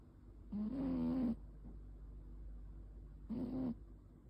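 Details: A domestic cat snores in its sleep on 9 May 2026, giving two rough droning breaths less than a second long, spaced about three seconds apart, in a hushed indoor space.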